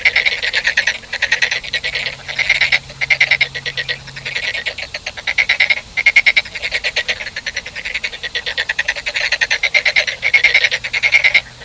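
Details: Frogs producing bright pulsed rattling croaks in repeated bouts, many callers overlapping into a near-continuous chorus with brief pauses.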